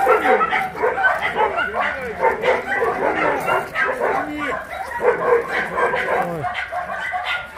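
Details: Large rescued dogs at the Mindeulle shelter for abandoned dogs in Yangsan, Korea, some of them shy with strangers, bark and howl at exercise time; a thick wall of overlapping barks with curving, drawn-out whining howls throughout.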